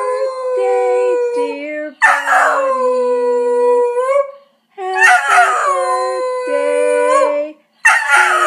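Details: A Cocker Spaniel, woken from sleep, howls in long, wavering tones that rise and fall in pitch, joining in as people sing happy birthday.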